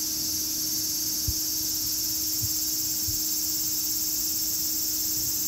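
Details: Cicadas producing a steady, unbroken high-pitched buzzing drone that holds constant throughout, with a faint low hum and a few soft low thumps beneath.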